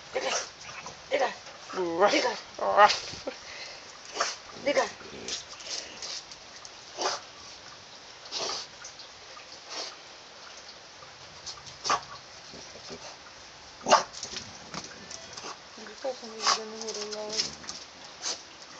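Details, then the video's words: French bulldog fighting a caterpillar, giving short yelps, whines and snorting barks in scattered bursts, with a person speaking Russian over much of the recording. "French bulldog fight with caterpillar"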